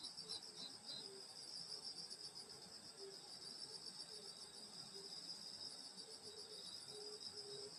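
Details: Grass insects on a rural summer night at a grandmother's house: unbroken high, ringing buzz in stacked bands, with soft, intermittent lower chirps scattered across the recording.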